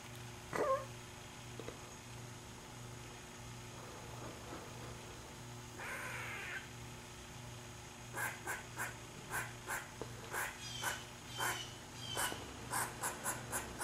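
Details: Squirrel calling: a rapid series of harsh, noisy calls, each about half a second apart, fills the second half, following scattered clicks and a brief rasping burst; a steady low hum runs underneath throughout.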